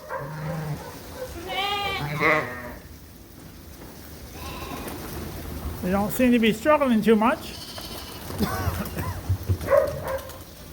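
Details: Suffolk lambs in a farm barn, mixed into one big group after a gate was left open, bleat in wavering, harmonic-rich bursts around two seconds and again near six to seven seconds, with talking voices between the calls.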